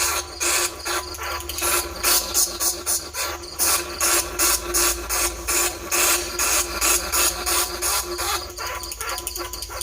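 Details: Lure sound played to attract bandicoot rats and field rats in Thailand: dense runs of harsh, broadband squealing pulses, roughly two to three per second, continuous and loud with no other sounds standing out.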